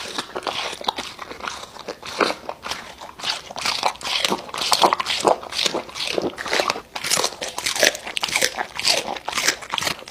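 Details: An American Bully chews raw meat up close, ASMR mukbang style. Sharp crunching bites come in quick irregular bursts, roughly two or three a second, with wet smacking between them in a small, quiet room.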